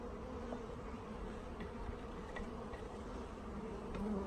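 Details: Many honey bees from a newly delivered package, hungry after postal delays, during installation into a hive; an even, continuous droning buzz that holds steady and swells slightly at the end, with faint clicks.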